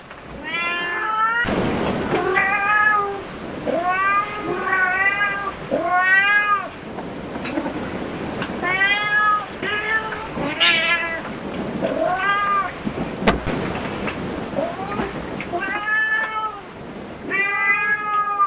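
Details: Cat cafe residents, including disabled black cat Su-kun and pale Hoa with black markings, give many short, arched meows in quick succession, each rising then dropping, with a brief clatter and soft room noise between calls.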